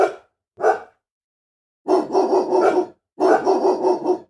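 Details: An angry dog gives two short, sharp barks, then two rough, drawn-out bursts about a second long that sound like snarling or growling, with brief silence between them.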